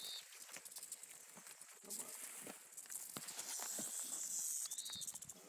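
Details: Western diamondback rattlesnake met on a trail in Sycamore Canyon, Arizona, after it was almost stepped on; a dry, hissing high buzz swells and holds for over a second, with short bird chirps and brushing footsteps around it.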